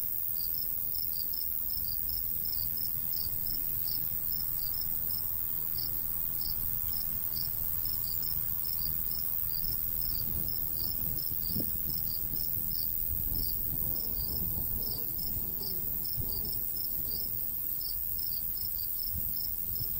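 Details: Summer countryside crickets beside a golden wheat field, a continuous series of bright high chirps in quick regular pulses, with soft wind noise underneath.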